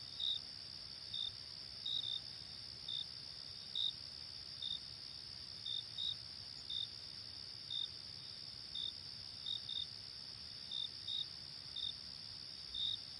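Crickets chirp at night, with short high pulses repeating roughly every half second over a steady high trill.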